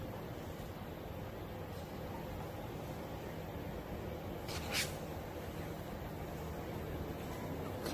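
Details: Steady broadband hiss throughout, broken only by a brief rustling click near the middle.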